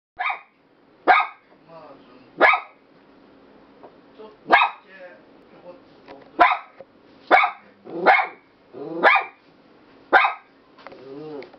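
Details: Three-year-old Toy Poodle barking at a visiting relative indoors: sharp yapping barks in a loose series of about nine, roughly one per second, with softer whining yelps between.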